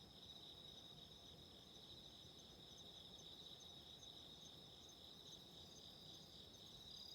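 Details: Continuous high ringing of autumn insects after dark, with a candle fire nearby, heard quietly beneath an even rushing, crackling noise that fills the lower range.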